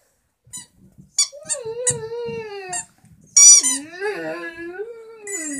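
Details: Vizsla howling at a squeaky toy indoors: long wavering tonal howl sliding down then holding steady, broken by sharp high squeaks from the toy and a second rising howl; a voice speaks briefly.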